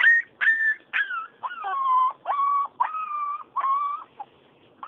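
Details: Four-week-old Siberian Husky puppy whimpering in a series of high, whistled whines, each holding a steady tone and then dropping slightly, repeated roughly every half second; a person speaks soothingly nearby.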